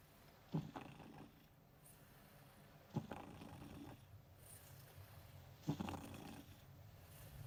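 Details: A domestic cat asleep beside a person working, snoring softly: low breathy snores repeating roughly every two and a half seconds, each starting with a brief snort-like click, over a steady quiet background hum.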